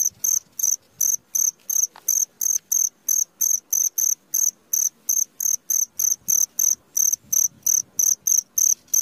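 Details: Cricket heard at midnight with a long, steady run of shrill chirps, close to three each second and very regular, against a soft low background hiss.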